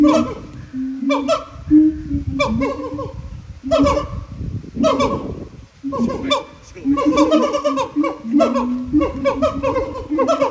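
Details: Siamangs at the Japan Monkey Center sing loud, repeated barking hoots with falling, laugh-like swoops, several voices overlapping. Their throat sacs amplify the calls into enormous volume.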